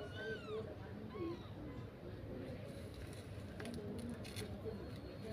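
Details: Kitten crying: two short, arched mews rise and fall within the first second and a half. A steady low rumble runs beneath them, and a faint squeak follows near the end.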